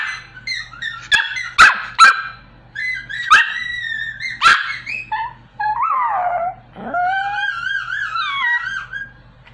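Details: Small Pomeranian dog trying to sing: sharp yips and short barks, then drawn-out wavering whines and a rising, vibrato howl around the middle pitches, with a steady low hum underneath.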